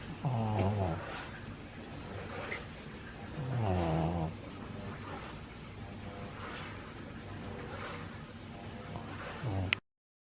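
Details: Maria, a nine-year-old female pug in Japan, recorded 17 March 2020, possibly under stress: two drawn-out, low, wavering groaning vocalisations about three seconds apart, then a brief short sound near the end, over a steady background hum.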